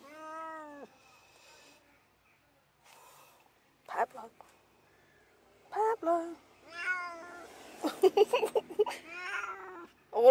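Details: Male Tonkinese cat complaining in a car on the way to the local vet for annual jabs: several meows, some wavering and some sharp, broken by pauses and mixed with a person talking.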